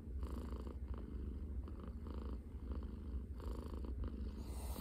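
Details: Scottish Fold cat purring in the morning after taking over its owner's arm as a pillow: a steady, deep rumbling purr, continuous and even, recorded close up indoors.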